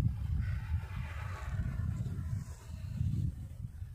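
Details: Wild boars strolling through snowfall in Murree, 2020: low, rough grunting rumbles on and off through the whole stretch, dense at the start and again near the end, with no other clear sounds.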